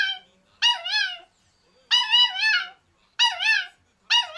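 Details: A young male black-and-tan Kaninchen Dachshund puppy, under a year old, gives high, wavering whining yelps from its cage, demanding to be let out and given attention.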